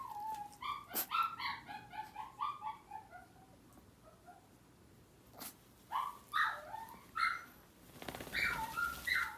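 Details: Pet dogs in a Japanese home with Yorkshire terriers and a Maltese, the younger crying and the older answering: quiet, pulsing whines repeated in quick rhythmic series, a pause, then more insistent rising whimpers.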